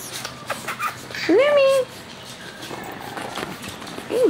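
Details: Chihuahua pups and adults: one drawn-out tonal whine that rises and then levels off, with a short falling yelp at the end and a faint mix of background sounds.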